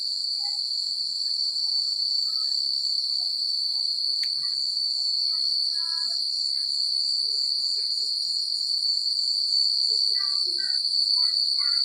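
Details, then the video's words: Night chorus of crickets in quiet countryside, an unbroken shrill pulsing trill throughout, while brief lower twittering notes appear now and then, growing busier toward the end. "The Sound of Crickets at Night"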